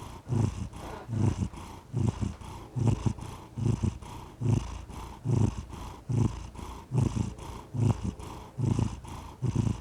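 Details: Domestic cat purring steadily: low, rumbling pulses in paired bursts with each breath, roughly every 0.8 seconds, close and clear with no other sounds.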